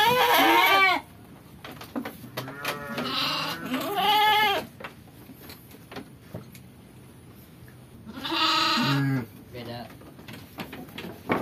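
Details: Garut sheep raised by a rural home in Kampung Sedekan, Cianjur Selatan, Indonesia; three loud quavering bleats at the start, around four seconds and near nine seconds, with quieter calls and faint voices between.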